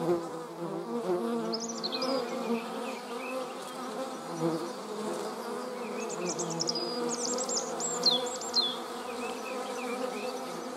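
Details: Honey bees with wasps close by make a steady low drone, while high thin bird chirps and short whistled notes sound in the background.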